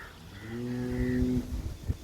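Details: Large Sevalai cow, offered for sale with her heifer calf and said to give 22 litres of milk, lets out one drawn-out, steady low moo lasting about a second before it breaks off, followed by faint shuffling thumps.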